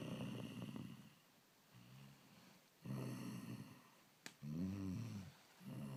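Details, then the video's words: A lion's snores: uneven deep, gravelly breaths, some soft and some loud and vibrating, with a single sharp tap just before the strongest rasp. "Lion Snoring"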